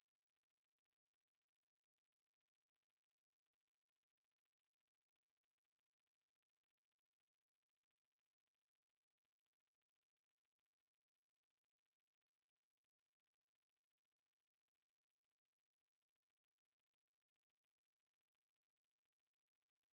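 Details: A 2020 National Institute of Biological Resources recording of the katydid Ruspolia lineosa: an unbroken, piercing high buzz of quick uniform pulses, with a couple of tiny breaks and no other sounds.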